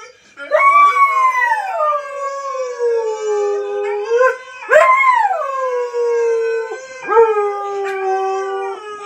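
A husky howls in long, wavering tones that start high, slide down, then hold steady before fading.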